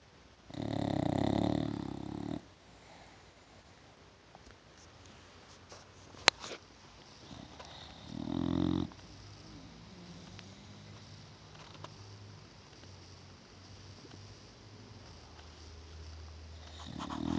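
An English Bulldog snores in loud, rough, rattling bursts separated by quiet breathing.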